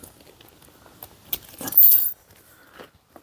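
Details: Keys jangle in a burst lasting under a second, with a few soft clicks and knocks before and after in an otherwise quiet space.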